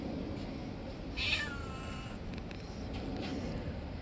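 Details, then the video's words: Street cat biting a finger after being fed late; one short high meow near the start, over steady low background rumble. "Cute cat bites my finger because I gave him food late."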